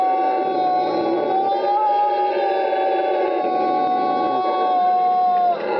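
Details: Howler monkey at Parque Ambue Ari, Inti Wara Yassi community, Santa Cruz, Bolivia, February 2009: one long, steady, droning howl holding a single mid pitch with rich overtones, dropping slightly just before it ends.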